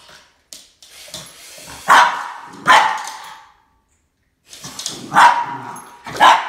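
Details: Boston Terrier Max barking at a snake, two loud sharp barks, a short silence, then two more forceful barks.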